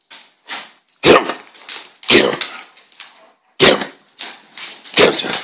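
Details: Fighting dogs, a little dog holding a big dog by the neck in a death grip: loud, harsh snarling bursts about once a second, each sharp and broadband, separated by quieter rasping and scuffle noise.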